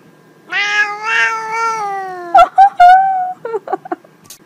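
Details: Domestic cat giving a long, drawn-out meow, steady and slightly wavering for about two seconds, followed by a few shorter, higher chirping mews and brief clicks; faint background voice.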